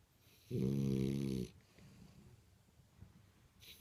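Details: French Bulldog named Imohei, asleep indoors, lets out one loud, buzzy, rattling snore lasting about a second, followed by soft, quiet breathing.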